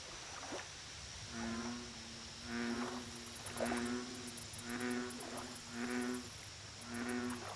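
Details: American bullfrog at a lake giving a steady series of six low, twangy croaks, each a buzzing hum under a second long, spaced about a second apart; rapid high insect ticks pulse faintly overhead.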